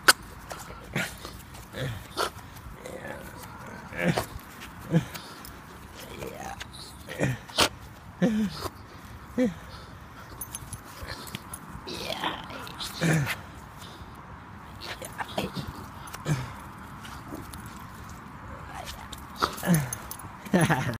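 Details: A male Staffordshire Bull Terrier playing with a stick he loves gives short, rough grunts and yips in uneven bursts a second or two apart.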